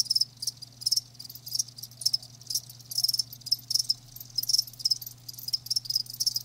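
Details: Live crickets produce high, trilling chirps in grouped bursts roughly twice a second, shrill and ringing, above a faint continuous low hum.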